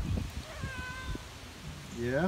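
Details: Bullseye, a cat adopted from the Hawaiian Humane Society, following his owner on a walk outdoors like a dog; a short falling meow at the end and a fainter harmonic call earlier, over footsteps and rustling.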